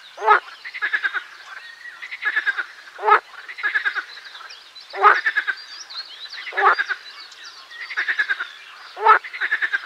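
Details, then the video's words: Pelophylax ridibundus chorus, marsh frogs calling: loud harsh bursts recur every one to two seconds, each followed by a run of rapid pulsed croaks, with dense overlapping calling from other frogs. "Песня озерной лягушки Pelophylax ridibundus"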